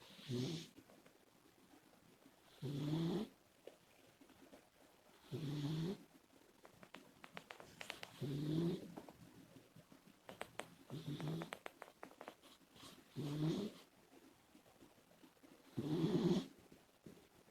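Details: Sleeping Labrador Retriever puppy, female, snoring at home: slow deep rumbling snores about every two and a half seconds, each a low grating breath, with faint clicking noises between them.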